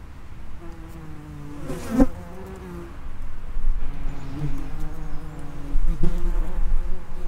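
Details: Buzzing of common wasps, Vespula vulgaris, around the mouth of their underground nest. Several overlapping low drones come and go, with a sharp loud burst near two seconds and a swelling, uneven hum afterwards.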